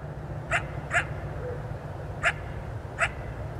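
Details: Coyote calling at dusk from about 200 feet or more away: four short, sharp, high yips, spaced irregularly. Steady low digital hiss runs underneath.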